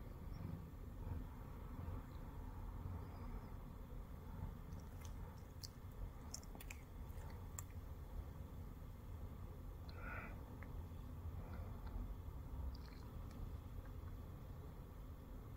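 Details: Continuous low, throbbing purr from Shamue, a Siamese cat resting on a person's belly, with a brief faint higher murmur near the middle and scattered light ticking sounds.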